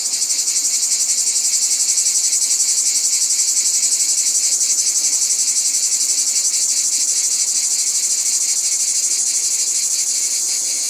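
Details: Continuous high, hissing cicada buzz in nature, loud and steady, with a faint pulsing texture throughout.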